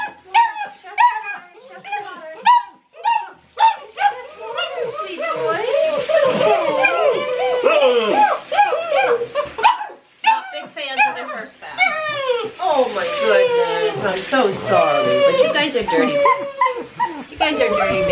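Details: A litter of six-week-old Great Dane puppies hating their first bath: rapid yelping whimpers, then long wavering high cries and overlapping squeals from several pups, with a woman murmuring over them.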